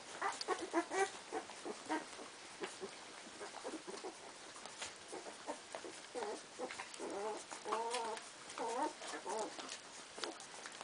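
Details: Litter of 15-day-old Cardigan Welsh Corgi puppies chasing the milk bar: a busy stream of short, high whining squeals, several rising and falling in wavering arcs, overlapping one another with soft shuffling in between.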